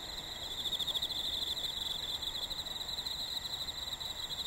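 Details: Autumn insect voices in an exceptionally hot summer: a continuous high trill made of fast, even pulses, steady in loudness, with a faint very high whine and light hiss behind it.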